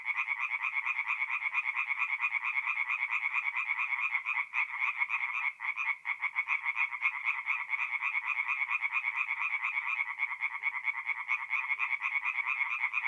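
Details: Chorus of tree frogs singing at night at a forest pond in mid-April, North-East Italy; dense overlapping rapid pulsed calls, many animals at once, steady and loud throughout with no other sounds.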